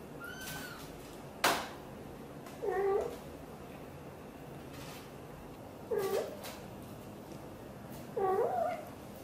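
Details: Mother cat Xaxa, a blue golden British Shorthair, chats with her tiny kitten Piano: a high thin call opens, then three clear wavering meows at regular intervals, with a sharp click and soft rustles in a quiet room.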